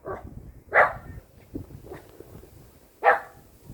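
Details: Six-year-old female silver Poodle in Namyangju, South Korea, afraid of pillars and running from them, gives two short sharp barks about two seconds apart, with softer yips between and faint background noise.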